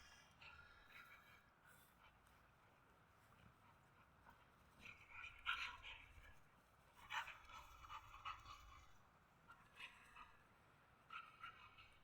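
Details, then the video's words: A pit bull puppy and an adult husky at play, the puppy dominating; scattered breathy panting bursts and short whimpering yelps come and go over a steady faint hum, quiet and irregular. "щенок пит буль доминирует в игре взрослого хаски"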